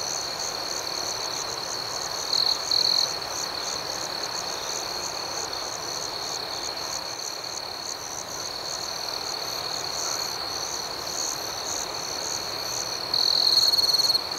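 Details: A long stretch of night crickets: a continuous shrill trill with quick rhythmic chirps riding above it at roughly four per second. Short louder trills break through near the start and again at the end.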